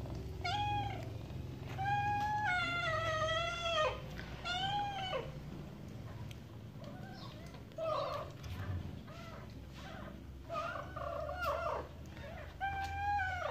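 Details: Mother cat talking to her kittens with drawn-out, wavering meows in runs of two or three, then softer, short chirping calls separated by pauses, over a faint low hum.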